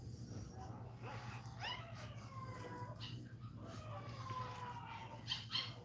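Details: Another Cane Corso cries during Cashmere's labour, giving long, thin, drawn-out whines that slide slowly downward, with a few sharper yelps and a constant low electrical hum behind.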